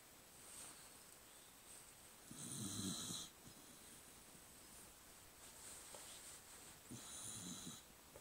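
A sleeping cocker spaniel snores with rough, rattling inhalations that come every few seconds. Between the louder snores, softer wheezy breaths and a faint background hiss fill the quiet room.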